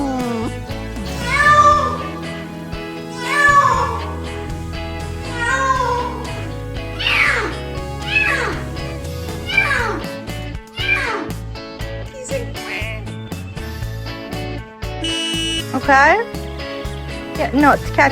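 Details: Domestic cats making weird noises: drawn-out dramatic meows that rise and fall, repeated about every two seconds, then shorter squeaky calls, all over steady background music.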